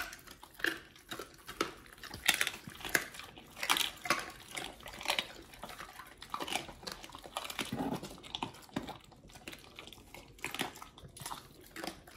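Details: Pit Bulls Oliang and nomyen eating raw healthy treats indoors: dense bursts of wet crunching and smacking bites, irregular and closely spaced throughout, with louder crunches every second or so in a small room.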